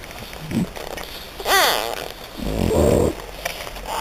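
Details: French Bulldog puppies in Hungary: a brief rising-falling squeaky whine with stacked overtones, then a lower rough grunting murmur about a second later, over a steady hiss.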